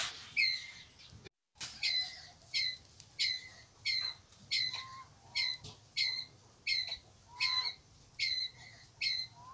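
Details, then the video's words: Pallas's squirrel calling the group with steady, harsh, nasal chuck notes repeated somewhat under a second apart; a short rising whistle from another bird shows faintly between calls. "Tiếng Sóc Bụng Đỏ Gọi Bầy"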